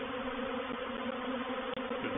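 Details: A brief stretch of a reproductive honey bee swarm settling into a bait hive at Painted Peacock Manor, 04/07/21; a loud, constant multi-toned hum with one short dropout near the end.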